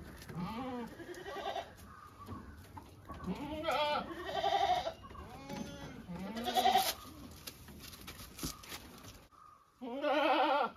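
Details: Domestic goats bleating several times, wavering nasal bleats at about 1, 4, 6.5 and 10.5 seconds, with a faint steady high tone and some voice-like sounds in between.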